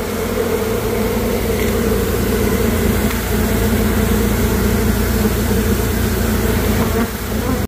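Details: Many honey bees in a hive built into a house floor, recorded close to the nest: loud, continuous deep buzzing, thick and unbroken, with a slight dip in volume just before the end.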